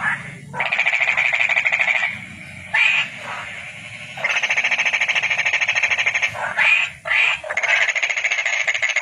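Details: Calling toad giving rapid rattling trills of uneven length, a short burst, a long unbroken two-second run, two brief bursts, then another trill to the end, with short silences between.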